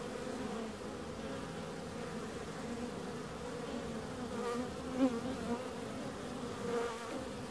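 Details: Humming bees form a constant drone, with short louder bursts as a single insect flies near, including one sharp close pass midway through the clip.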